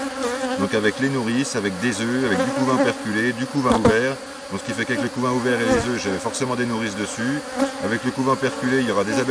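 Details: Honey bees of a drone-laying hive, 3 May 2021, receiving a brood frame with nurse bees from a neighbouring colony described as not very gentle; continuous droning buzz of a crowd of bees, pitch wavering, briefly quieter midway.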